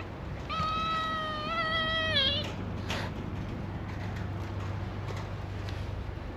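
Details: Calico cat mother and kittens play-fighting outdoors on a cat island in Japan, practising for life in the wild: one long drawn-out meow, steady then dipping at the end, over constant low background rumble.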